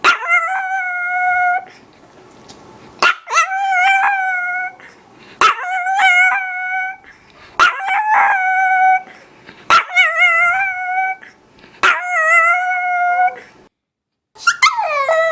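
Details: Chihuahua dog howling: steady, mid-pitched howls about one to two seconds long, each opening with a sharp yip, repeated roughly every two seconds with brief pauses between.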